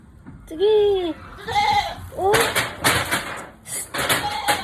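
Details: Nanny goat struggling to give birth lets out three strained, arching bleats in quick succession, the first long and wavering, followed by loud rustling and handling noises.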